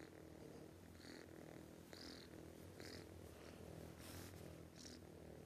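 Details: Loud snoring from a sleeping cat: a buzzing low hum underneath, topped by breathy puffs recurring about every second, one brief tick near two seconds.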